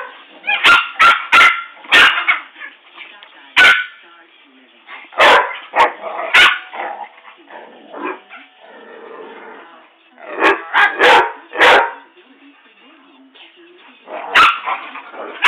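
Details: Dogs, a Rottweiler and a poodle, in a rough indoor encounter: sharp, high yappy barks in quick bursts of two to four, with pauses between clusters and people talking and laughing in the background.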